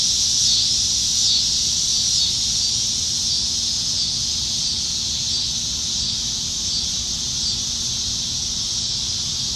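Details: Nebraska cicadas on a July 2019 summer evening, singing in the trees; a continuous high sizzling chorus, slightly louder and pulsing at the start, then settling into a steady hiss.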